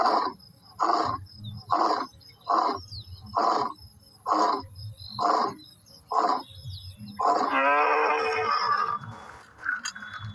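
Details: Lion giving a roaring sequence of rough, breathy grunts: eight evenly spaced pulses over about seven seconds, then a longer, raspy, strained vocal sound near the end.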